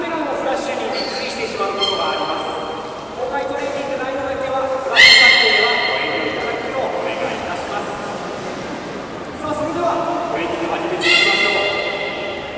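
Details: A beluga at Port of Nagoya Aquarium during the 13:30 public training session on 18 July 2016 gives several drawn-out squeals with many overtones. The sharpest squeals rise near the middle and the end, and human talk runs underneath.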